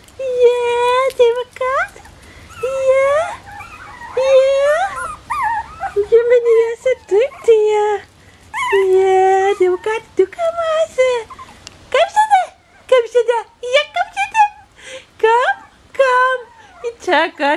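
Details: Bichon Frisé puppies of the O and P litters at Vejles Lille Kennel whine almost nonstop: long level cries mixed with rising and falling squeals and quick yelps, several voices overlapping.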